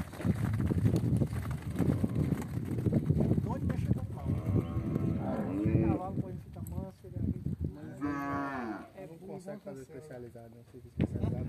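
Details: Angus crossed with Nelore beef cattle lowing: several deep, drawn-out moos with rising and falling harmonic bands, overlapping one another amid heavy low rumbling herd noise.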